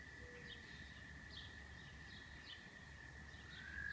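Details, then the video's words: Frogs singing near Rochester, New York: a faint, steady high trilling drone that runs unbroken throughout, over a low rumble of background noise, with a few brief chirps above it. "Frogs of Rochester, NY"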